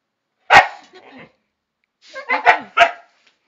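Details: Two dogs, Chester and Laika, protesting at being told off the terrace: a sharp bark, a softer grumble, then a quick run of three vocal barks with whiny overtones, in a quiet room.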